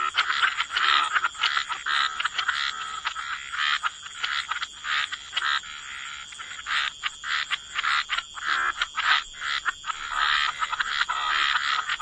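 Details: Many frogs calling at the water's edge, rapid rattling croaks stacked in irregular bursts over twelve seconds, some calls louder and nearer, others softer behind, over a continuous high-pitched background hum.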